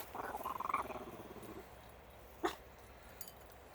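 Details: Five-week-old Shiba Inu puppies playing outside with some adult Shibas; a short pulsed, whining vocalization rising and wavering over about one and a half seconds, then a brief sharp yelp, with faint outdoor background noise.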